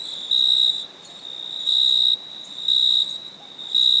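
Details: At night, a cricket chirps in a steady, high pulsing trill, with louder bursts about every second.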